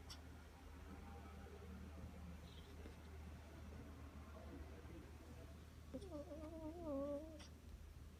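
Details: Spoiled nine-week-old Rottweiler puppy snoring and making funny sounds while asleep: mostly soft breathing over a steady low room hum, then a wavering, nasal whine lasting about a second and a half near the end.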